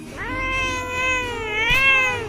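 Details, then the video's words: Pet cat angry while its claws are being cut gives a long, drawn-out harmonic meow that holds steady and then wavers slightly near the end, with a woman talking around it. "বিড়াল রেগে গেল"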